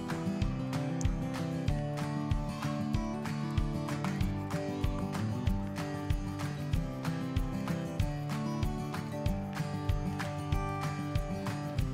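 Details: Upbeat guitar-driven background music with a steady rhythmic pulse fills the whole stretch, and no animal sound stands out.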